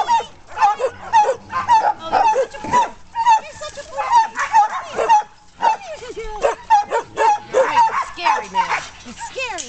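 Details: Splashing dog at play yelps and barks about twice a second, sharp bright notes repeated unevenly, mixed with a person talking to it.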